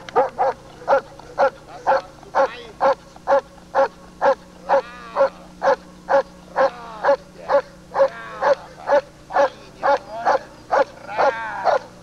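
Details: German Shepherd Lord v. Gleisdreieck DDR, a working dog, in 1995 home footage filmed off a TV screen, barking steadily at about two barks per second, each bark sharp and full, with a faint steady hum underneath.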